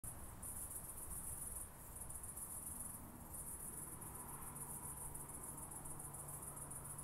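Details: Oak bush-cricket recorded at Starnberg, Germany, on 18 July 2023: high, buzzy, finely pulsed bursts of about one to one and a half seconds, separated by brief pauses, over a steady low background hum.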